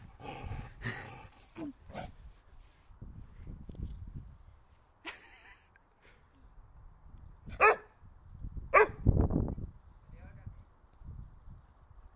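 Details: Holger the dog, eager for the stick, lets out a few sharp, scattered barks amid soft rustling, with two louder abrupt barks near the end and quiet gaps between them.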